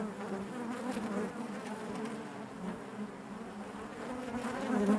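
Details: Inside a honey bee hive, a continuous low hum of countless beating wings, even and droning throughout, growing slightly louder toward the end.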